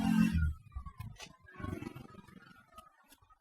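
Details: Soft plucked guitar and keyboard music plays, with no animal voice.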